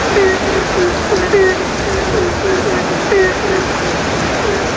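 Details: Several frogs answer one another with short, low, croaking notes over steady rain in a village setting during the rainy season.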